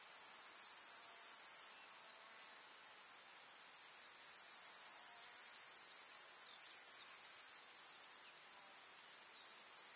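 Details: Grasshoppers chirping in a summer meadow among wildflowers in the countryside: a dense, very high-pitched, steady shimmering buzz that drops back briefly near two seconds and again near eight, then resumes at full strength.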